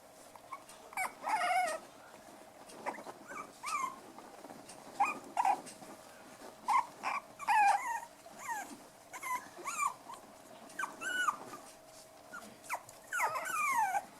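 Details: Five-week-old black and white toy poodle puppies at play indoors, with a person calling to them, producing repeated high whiny yelps and squeaky rising-falling whimpers in irregular bursts every second or two.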